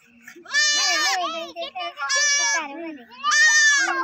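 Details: Four baby goats giving three loud, drawn-out bleats about one and a half seconds apart, each strained and wavering, with softer lower murmurs between them.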